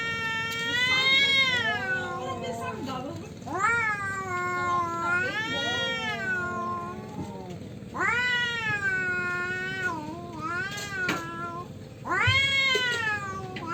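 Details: Tomcats squabble over territory. They trade a series of long, bending, moaning yowls, roughly one every two seconds, and the voices swell and fade in turn with brief gaps between phrases.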